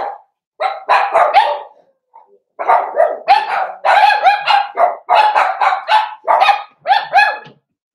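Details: High, harmonic yapping from four-week-old Cavalier King Charles Spaniel puppies during socialising with older dogs in a home puppy pen, a near-continuous run of quick barks over several seconds with one short pause.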